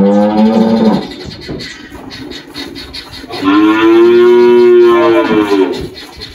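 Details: Spotted 18-year-old Girolando dairy cow Malhada, farm in Anápolis, Goiás, Brazil, March 2023: a brief lowing note, then after a two-second gap a longer, steady, resonant moo of nearly two seconds that trails off.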